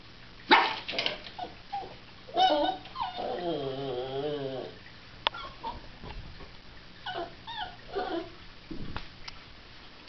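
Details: A female Cairn Terrier whines and yips, then gives a wavering, howl-like cry, upset that her owner has left for work.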